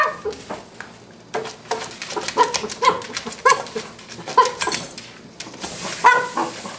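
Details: A Cavalier King Charles Spaniel puppy barks at a tuna can, each yap short, bright and high-pitched, coming every half second or so, while a person speaks briefly in the background.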